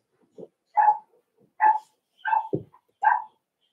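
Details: Four-week-old Cavalier King Charles Spaniel puppies in an indoor puppy pen, socializing with other dogs: four short, high, tonal yelping whimpers spaced under a second apart, each bright and slightly rising, with a low grunt between.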